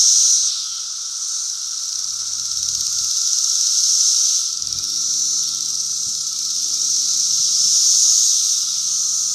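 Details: Brood V periodical cicadas calling together, May 31, 2016: unbroken loud, high-pitched hiss from many insects rising and falling in waves, a constant lower drone, and faint low rumbling in the background.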